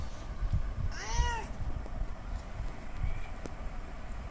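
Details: Male domestic cat calling a female in heat for mating: a single drawn-out, harmonic meow rising then falling, under a second long, over steady low rumbling background noise.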